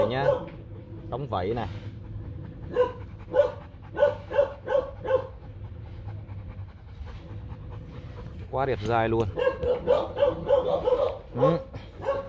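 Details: Young male Rottweiler stud dog named Nano, kennel-bred son of the imported male Bruno and Melsee. A run of short, evenly spaced mid-pitched barks, then a second burst later, with a person talking in Vietnamese between them.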